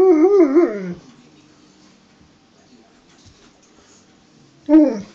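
A hungry Alaskan Malamute gives a wavering, yodel-like woo that slides up and down, then a shorter second one.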